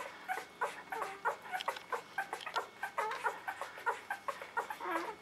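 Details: Maddie's newborn puppies squeak and whine in a small room, several thin, wavering cries overlapping, some rising and falling, coming in uneven bursts roughly once a second.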